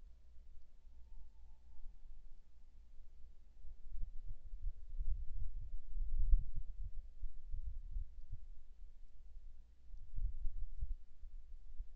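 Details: Low thudding footsteps and faint rustling at night, with no clear animal call heard.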